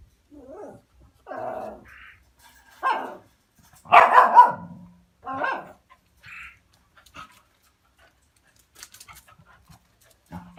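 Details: Dog barking at a cat it has seen: a series of irregular barks, soft yelps and whines building to a loud, rough bark, then quieter short sounds and faint clatter.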